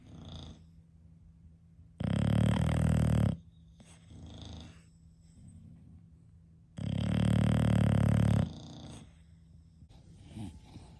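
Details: Snoring English Bulldog, one of five kept in a home: two long, loud, gravelly snores roughly five seconds apart, each about one and a half seconds of deep rattling breath, with softer breathing noises between.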